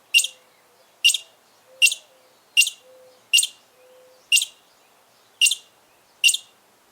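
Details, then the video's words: Loud squirrel chirping: sharp, bright, clipped chirps repeated steadily about every 0.8 seconds, eight in all, against an otherwise quiet background with a faint low hum. "LOUD SQUIRREL CHIRPING SOUNDS"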